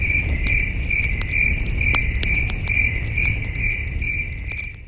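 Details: Crickets at night near a campfire under a starry sky: a ringing chirp pulses steadily several times over a few seconds, alongside crisp fire crackles and a low rumbling breeze that fades at the end.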